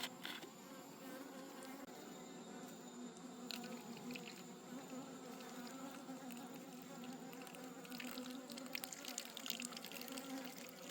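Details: A wild honey bee colony disturbed during a forest honey harvest hums steadily and low, with scattered crackles, taps and rustling over the drone.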